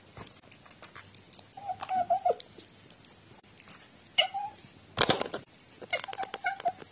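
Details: Talkative pet cat recorded 14 October 2017; a wavering meow, a short sharp call, a loud clatter, then a final string of meows, indoors with light tapping noises.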